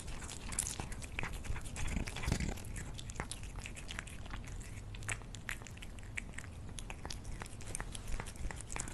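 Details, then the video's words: Indoor cat eating, a run of crisp crunching bites roughly three each second, dry clicks and crackles with soft low thumps between them, nothing else clearly audible. "CATS EATING FOOD"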